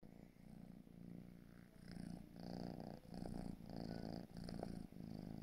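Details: Marshmallow, a four-month-old gray British Shorthair kitten, purring: a low, steady rumbling drone pulsing in soft waves of rising and falling loudness, with the breathing cycles clearly audible in a quiet indoor setting.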